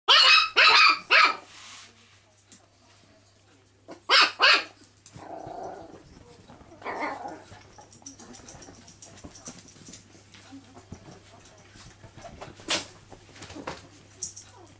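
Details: Chihuahua barking indoors at home: a quick burst of four sharp, high yaps, a pair of barks around four seconds, then quieter scattered yips and a low growly sound with household noise.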